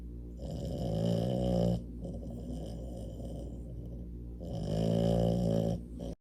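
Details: French Bulldog snoring while asleep, two long rasping, rattling inhalations at about 0.5 and 4.5 seconds, each lasting over a second, separated by a softer, steady wheezy exhale.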